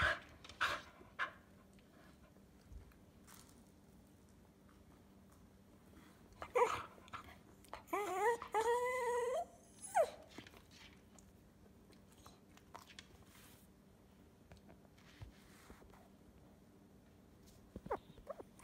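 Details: Hudson, a 'talking' Cocker Spaniel, gives a drawn-out, wavering moan that rises and falls in pitch, apparently asking for the owner's food, which he is told is not for him.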